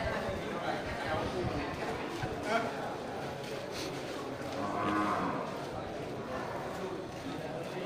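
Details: Fattened local jumbo cattle at the Geurugok cattle market in Bireuen, Aceh, on 13 July 2021, the weekend before Qurban; drawn-out lowing moos rise around the middle and later, over busy market chatter and a man talking.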